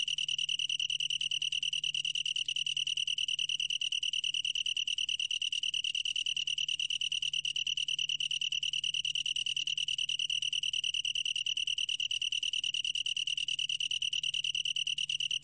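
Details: Long-tailed tree cricket singing a steady, ringing, high-pitched trill of rapid even pulses, about a dozen a second, sustained without a break throughout; no other animals or background sounds.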